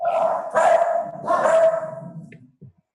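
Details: Domestic dogs barking in the background during a live online meeting: two loud, rough bark bursts about a second apart, then fading with faint sounds at the end.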